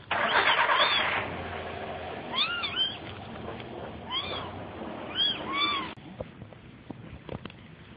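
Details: A burst of harsh rushing noise opens, then a kitten mews in quick pairs, thin high whines curving down, before quieter scattered clicks close out.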